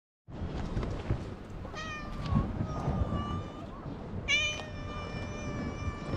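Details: Stray island cat recorded outdoors with a GoPro HERO8 gives two drawn-out, tonal meows, the second long and level, over a steady rumbling background noise.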